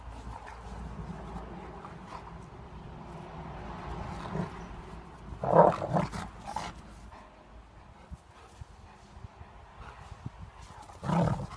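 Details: A German Shepherd and a Golden Retriever play fighting, growling low and rough, broken by a couple of sharper yelps.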